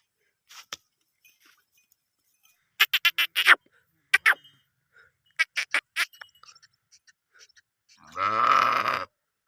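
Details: Sheep grazing in green fields at a village in Gilan, Iran: one wavering, harmonic bleat about a second long near the end, after scattered short clicks and knocking sounds.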